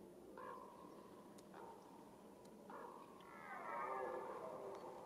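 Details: Red deer stag calling in the rut, the mating season: two short grunting moans come first, then a long, rising, strained roar rich in overtones builds and holds toward the end, heard faintly at a distance.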